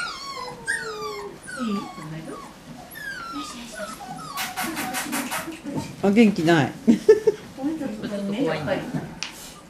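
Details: Medium poodle puppies, recorded October 22nd, 2013, give high, thin whines that slide downward in a quick string. Later, a human voice talks over softer yips.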